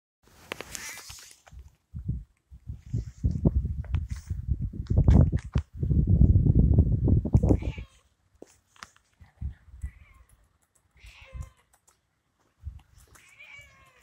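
A hungry Siamese cat meows insistently, asking for food, with low thumps and rustling.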